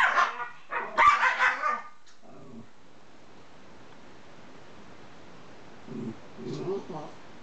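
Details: Pair of Miniature Schnauzers, one grumbling low, the other barking very high: two shrill barks open, then quiet, then a couple of low, rough grumbling growls near the end.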